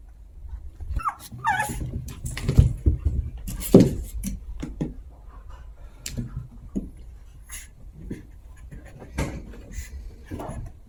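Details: Two Chihuahua puppies playing indoors give a string of soft grunts, snuffling breaths and brief high squeaky whimpers in irregular bursts, with quiet rustling between them, close by in a small room.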